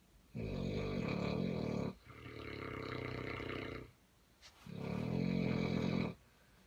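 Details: Two sleeping Neapolitan Mastiffs, a mother and daughter named Corrado's Vera Amore del Bueno and Corrado's Isis, recorded in 2017, snore loudly with long rumbling, rasping breaths of about one and a half seconds each, separated by short quiet pauses.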